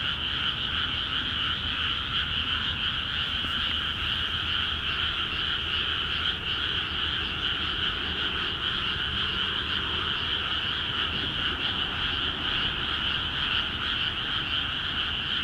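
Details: Frogs in freshly watered paddies of Akiha Ward call vigorously. Countless overlapping croaks merge into a constant two-toned buzz. A faint brief sound breaks in near the start, and there is a low background rumble.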